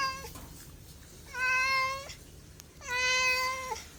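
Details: Cat meowing indoors: three drawn-out, flat-pitched meows about a second long each, with rich harmonics, spaced roughly a second and a half apart.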